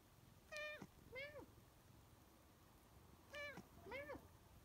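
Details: A female Siamese cat talks back to her owner, asking for more kibble, with two pairs of clear, rising-then-falling meows about three seconds apart.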